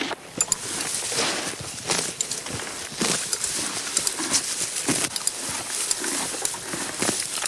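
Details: A horse grazing, with crisp tearing and crunching as grass is pulled and chewed.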